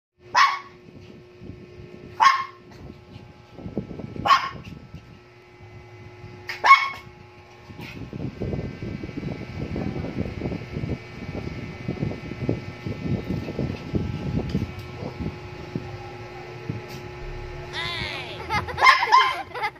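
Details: Shih Tzu dog giving single sharp barks spaced about two seconds apart, four in a row, over a steady electronic hum, followed by a long stretch of scratchy, rustling noise and brief music-like tones at the end.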